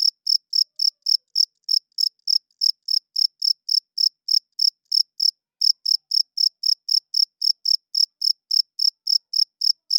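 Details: Male cricket chirping loudly at night to attract females and claim territory, sound made by rubbing its wings; rapid high pulsed chirps nearly four per second, with one short break midway, clean background.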